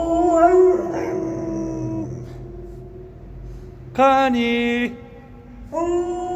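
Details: Pet dog howling "a-u" at home. A long, steady, harmonic howl lasts about two seconds, then a quiet gap. A second strong howl rises at four seconds, and a third begins near the end.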